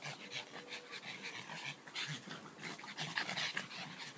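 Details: Dogs at play in a garden, panting hard: quick, regular, airy huffs several times a second, rising and falling in loudness, with a brief faint tone near the start.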